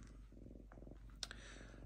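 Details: Diva the lynx, calm at home after deciding paper towels are unnecessary, purrs in a continuous low throbbing rhythm, broken briefly by a sharp click and soft paper rustle.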